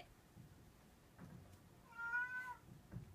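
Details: Munchkin cat meeting a Shiba Inu dog indoors gives a single clear, tonal meow lasting about half a second, slightly rising then falling, with faint soft rustles and quiet background sounds around it.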